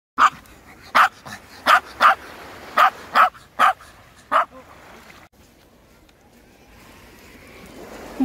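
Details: Ten-year-old female Maltese recovering from surgery, seeing the sea for the first time at Uljin, South Korea: eight sharp, clipped barks at uneven intervals over about four seconds, then quiet with a faint soft hiss.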